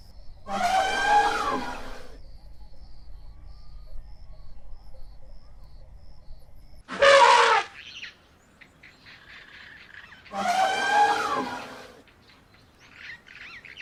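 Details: Asian elephant calling three times across about fourteen seconds: a rough, wavering trumpet, a short sharp blast near the middle, then another wavering trumpet, with faint higher tones and near-silence between calls.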